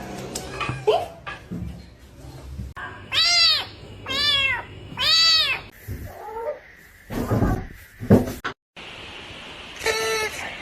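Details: Kitten meowing indoors: three loud, arched, harmonic-rich meows in quick succession, then shorter chirpy calls among clatter and scraping, and one more clear meow near the end.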